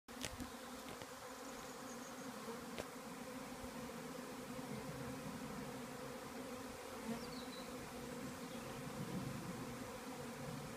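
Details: Swarm of honey bees that has just left a beekeeper's hive, moving to settle on a nearby small tree; a continuous dense, low droning hum of many wings, steady throughout, with a few brief clicks.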